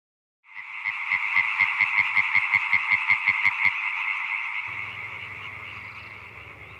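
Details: European tree frogs calling in chorus at a breeding wetland in rural northern Isère, France, in a loud rapid stream of nasal, quacking pulses.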